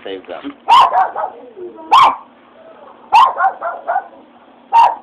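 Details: A Japanese Chin reacting after hearing fireworks gives sharp, loud barks roughly every second or so, with a person talking excitedly between them indoors.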